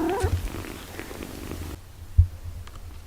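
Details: Mother cat tending her six-day-old kittens after giving birth, a deep continuous purr rumbling low, a brief higher cry at the start, and a soft thump near the end.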